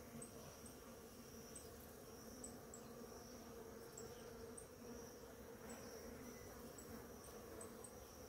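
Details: Flowering ora-pro-nobis draws many bees in the morning, and their feeding makes a constant low murmur of buzzing. Light high-pitched chirps repeat through the background.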